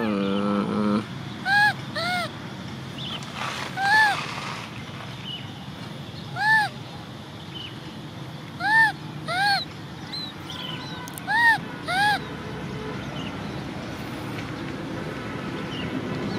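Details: Baby macaque named Cola, an orphan, cries because she wants to ride a bike: clear arched, whining coos repeated at uneven intervals, roughly a dozen times a minute, over steady low rumbling noise.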